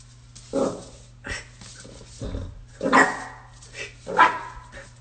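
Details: Jack Russell Terrier, a puppy compilation dog, giving short barks at irregular intervals, about five over five seconds, some with a low growly edge, indoors with faint background voices.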